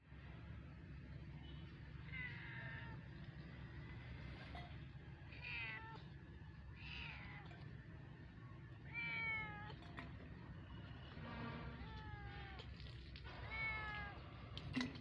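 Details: Several kittens meowing, short rising-falling high mews repeating every second or two, sometimes overlapping, over a steady low hum.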